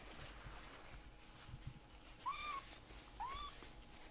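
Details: Kitten, a rescued baby cat, asking for more treats; two short rising-then-level meows about a second apart over a faint hum and low background noise.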